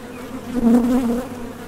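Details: Honey bees at the entrance of a Top Bar Hive, leaving for and landing from nectar foraging; a brief low steady drone swelling in the middle and fading, with a strong hum and a fainter upper tone.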